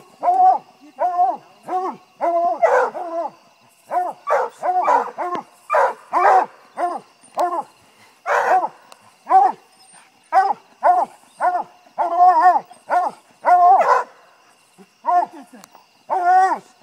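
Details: Five-month-old puppy named Queen at her first raccoon treed, giving a rapid, steady string of sharp yelping barks roughly twice a second, a few louder and rougher, continuing without break through the recording.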